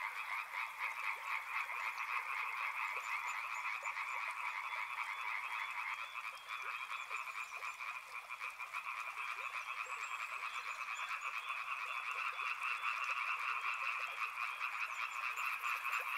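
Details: Riverside chorus of many frogs, a thick unbroken wall of fast, rhythmic croaking pulses that holds steady throughout, with occasional thin high chirps drifting over the top.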